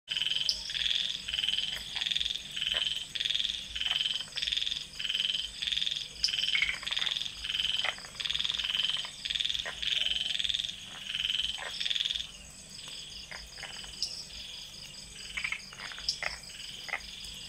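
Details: Common tree frog (Polypedates cf. leucomystax) calling beside an ornamental garden pond near Mae Wong National Park, Thailand, at night: a series of short, high croaking notes repeated about once a second for twelve seconds, then fading under a steady insect hum.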